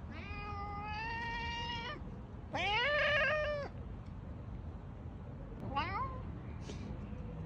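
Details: Loud cat meowing: a long, level, whining meow, then a shorter, harsher cry that arches up and down, and finally a brief rising-falling mew. Gaps between the calls hold only a soft, steady background rumble.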